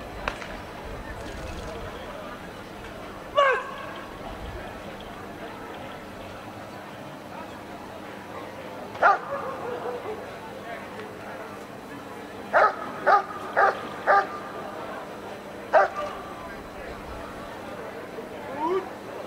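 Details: Dog doing protection work at the NIAK 2017 dog sport trial, sharp single barks scattered through, then a quick run of four barks, over steady crowd and arena noise.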